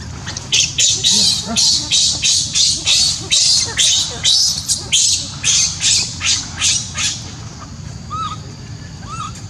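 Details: A baby monkey in Siem Reap Angkor Park, left alone and crying for its mother, gives loud harsh high-pitched screams about twice per second in a steady series. It then falls quiet while a couple of short bird chirps sound nearby.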